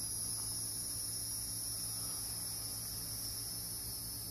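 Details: Hieroglyphic cicadas (Neocicada hieroglyphica) in Brendan T. Byrne park, New Jersey, sing a steady, high-pitched buzzing drone over a faint low hum.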